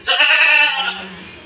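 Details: Castrated male goat aged 14 to 15 months, one of three sold for Bakri Eid on an Indian goat farm; a single strong, nasal, harmonic bleat of nearly a second, followed by a soft low hum.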